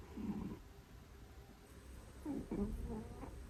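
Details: Domestic cat, one of two pets said to snore very heavily, like sleep apnea, while sleeping. There are soft, low, rough snoring breaths, one early and a cluster of short rasping pulses near the end, in a quiet room.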